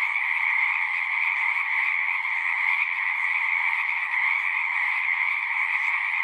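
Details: Chorus of frogs at a pond in a horse pasture, Zoom-recorded: countless overlapping trills blend into an even, high, buzzing drone that never drops off.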